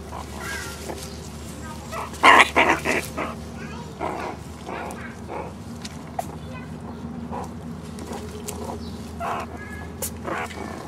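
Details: Three one-year-old meerkats foraging for bugs, beetles and hidden mealworms in an overgrown zoo enclosure; a cluster of short harmonic chirping calls near the middle, then scattered softer vocal bursts over a steady low background hum.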